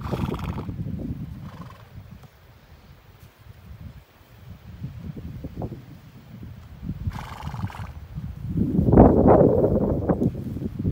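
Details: Quarter Horse mares at a ranch feeder eating maralfalfa, given as supplemental feed during a dry year; low rumbling snorts and shuffling build to a louder, harmonic neigh near the end, with knocking and hoof sounds.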